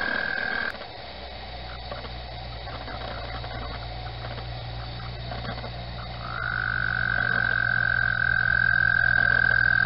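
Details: Springtime frogs chirping for mating at Mt Gretna: a steady high whistle-like chorus starts briefly, drops away under low rumbling, then swells back strong and unbroken for the last few seconds.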